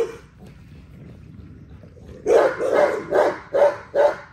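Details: XL American Bully barking during daily exercise: after two seconds of near quiet, five deep, punchy barks ring out in quick succession, roughly two or three per second, each sharp and full-bodied.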